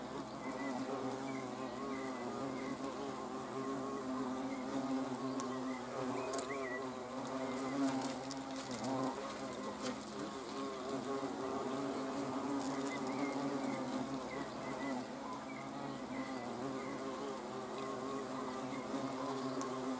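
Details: Steady droning of hornets, recorded 30 June 2020. A dense, even, low-pitched buzz with stacked harmonics persists throughout, with faint small clicks and taps in the background.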